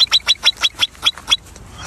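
A marmot gives a rapid series of sharp, high whistled notes, about five per second, then falls silent.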